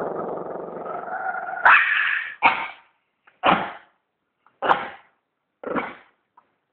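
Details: A sustained growl from a dog gives way to five sharp barks, spaced roughly one second apart and fading with each bark.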